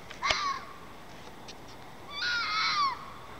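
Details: Outdoor red fox, probably mating: a short harsh scream with a falling tone, then after a pause a longer raspy wavering shriek lasting nearly a second, over low background hiss.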